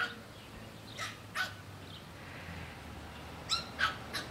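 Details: Pug keeping barbecue foil away from a black pug puppy lets out scattered short barks, a pair near one and a half seconds and three more quick ones toward the end, with soft room noise between.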